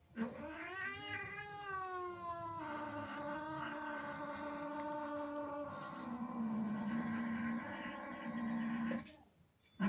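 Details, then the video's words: Angry, jealous female house cat upset by kittens sneaking into her home, letting out a sustained, wavering yowl about nine seconds long that dips and swells in pitch before abruptly stopping; indoors. "Angry cat makes incredible sounds"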